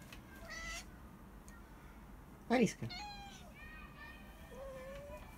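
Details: Alisa, a talkative Siberian cat lying in the sun, makes a short meow, then a loud wavering trilled call, followed by several quieter chirping meows and a final level mew, with low background hum.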